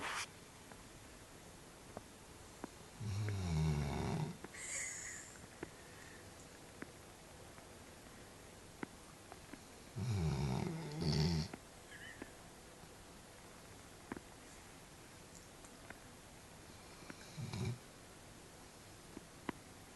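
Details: Sleeping dog snoring indoors: three deep, rumbling low snores about seven seconds apart, each lasting roughly a second and a half, the last one shorter and fainter, with quiet room tone between.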